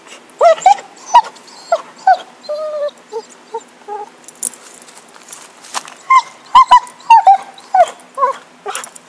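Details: Happy, a dog playing with a stick, gives rising high whines and short yips in irregular bursts, some clusters quick, with a pause near the middle before a livelier run of yelps.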